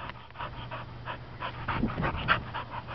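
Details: Female Welsh Springer Spaniel, a found stray up for adoption, recorded 18 August 2012, pants in quick breathy bursts about four per second while a man talks to her about a toy.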